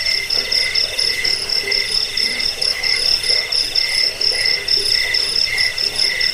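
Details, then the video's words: Cricket chirps for scaring off rats, helping sleep and teaching birds to sing: high, ringing pulsed phrases repeated roughly twice a second, with faint sharp ticks above. "Suara jangkik pengusir tikus pengantar tidur"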